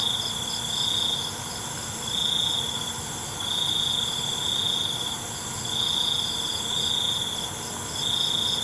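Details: Crickets calling after dark: bright, high-pitched trilling broken into pulses roughly once a second, layered over a continuous shimmering chorus of other insects.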